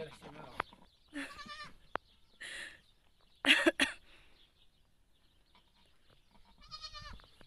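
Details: Domestic goat giving birth, with people nearby; several short harmonic bleats at intervals over about seven seconds, mixed with human voices and exclamations.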